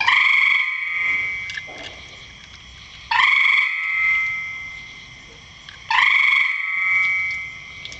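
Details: Frog in a rain barrel giving three strong, resonant calls about three seconds apart, each a sharp-onset ringing tone with layered overtones that fades slowly, quiet hiss in the gaps.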